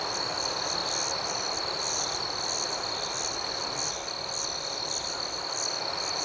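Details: Steady high-pitched cricket trilling fills a night scene, with a faint rhythmic pulsing above the main tone and a slight dip in loudness near the four-second mark.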